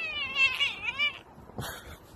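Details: Domestic cat meowing once, a clear, wavering, drawn-out cry of about a second that bends up and down, followed by a brief fainter second call in a quiet room.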